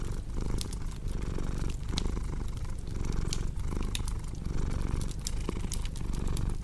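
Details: Domestic cat purring in a steady low rumble that swells and eases with each breath, roughly every second, while a crackling fireplace adds sharp scattered pops and snaps.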